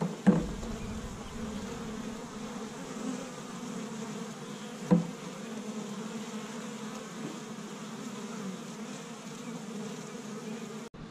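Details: Busy honey bees of an established Michigan hive on a warm spring day, foraging tree-bud pollen. A continuous low buzzing drone holds steady throughout, broken by two short knocks, one near the start and one around five seconds.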